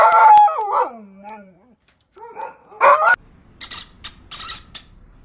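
A dog gives a wavering howl that slides down in pitch, then two short yelping bursts, followed by a run of sharp, high clicks or taps.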